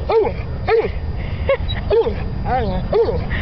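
A dog gives a run of short, high-pitched barks, roughly two every second.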